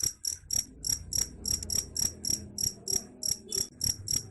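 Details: High trilled chirps of a cricket, sound said to chase off rats, pulsing about three to four times a second, slightly uneven in spacing, above a soft low background murmur.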